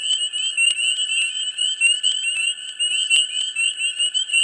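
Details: A dense frog chorus in a swamp in mid spring, high, overlapping trills and peeps blending into a steady, shimmering wall of sound.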